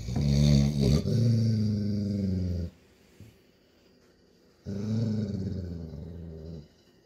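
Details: Golden Retriever father growling to tell his playful puppy daughter that playtime is over, indoors; two deep rumbling growls of about two to three seconds each, separated by a quiet pause.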